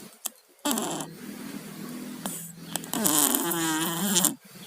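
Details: Pet cats Tayen and Lilu, both with colds, snore while asleep indoors: a soft rasp, then two longer raspy, harmonic breaths with a wavering, bubbly tone, the second louder and stuffier.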